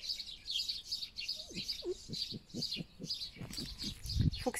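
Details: Foxes Vasilisa and Foxie feeding each other, called a choir of fox girls: a brief rising squeal, then a run of short low chattering pulses about four per second. Steady high chirping of small birds runs throughout.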